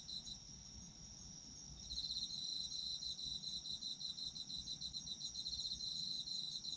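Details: Autumn insects calling, sleep ambience: a thin steady high tone, then from about two seconds a loud fast pulsing trill that keeps going to the end over a faint low background hum.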